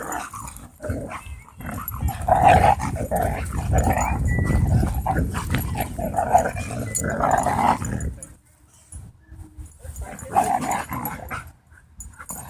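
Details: Dogs playing at a dog park, giving vicious-sounding death growls and odd noises; a continuous low rumbling growl with harsher bursts runs for about eight seconds, then drops to quieter snarls and rustling.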